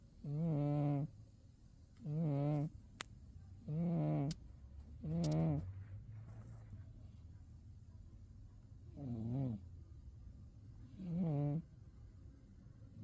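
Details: Umi the pet cat, zonked out in winter sleep, gives six throaty snores, four in quick succession then a pause before two more, with a faint low rumble underneath.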